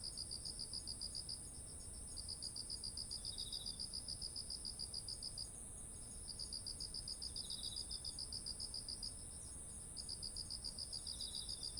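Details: Autumn insects among ripening rice fields: bursts of fast high chirps about four seconds long separated by brief pauses, each followed by a soft lower trill, while a steady shrill whine continues throughout.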